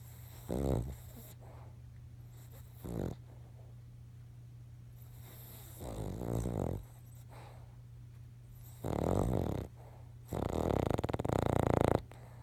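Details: Charlie, a King Charles Spaniel, snores while dreaming: rough buzzy snores come in irregular bursts, short ones early then longer rattling ones near the end, with quiet breathing gaps and a constant low electrical hum.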